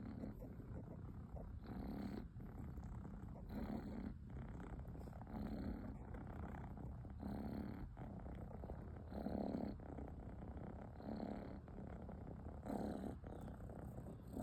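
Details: A kitten snores in its sleep. Rasping, purr-like low breaths come in regular pulses about every one and a half to two seconds, with a faint voice in the background.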